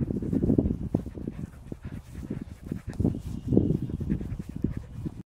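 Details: Two dogs, Lola and Gigi, at play in Queens Park Dog Park, giving continuous low, gravelly growls and panting pulses that swell and fade every second or so.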